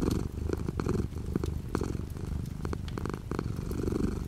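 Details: A domestic cat purring indoors while light rain falls outside the window: a low, steady rumbling purr with a rhythmic pulse, under a soft patter of rain and scattered drops.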